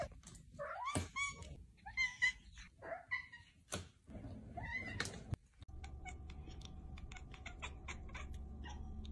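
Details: Domestic cat mother playing and talking with her kittens: a run of short, high, wavering meows in the first five seconds, then steady rumbling background noise with faint clicks.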